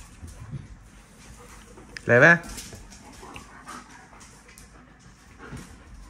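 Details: Dog among a puppy group at play indoors, joined for half a day by Kiko the Australian Shepherd; one sharp, harmonic yelping bark midway, set against soft scuffling, panting and low room noise.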